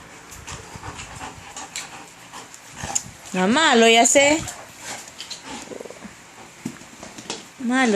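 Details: Male German Shepherd named Jordan, playing indoors on a hard-rain day; a drawn-out wavering, moaning whine of about one second rises and falls, a shorter one at the end, over scuffling and a person's voice.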